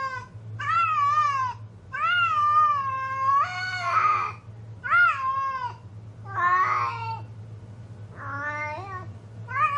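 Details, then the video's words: Female cat in heat calling indoors: long drawn-out meows, each wavering and slightly falling, repeated several times with rougher, yowling calls between, over a steady low hum. "My Cat in Heat"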